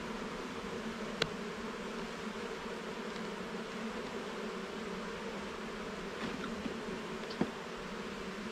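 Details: Honey bees droning inside an opened garden hive while the levels and frames are inspected: an even, continuous buzzing hum with a few sharp clicks of frame handling near the start and toward the end.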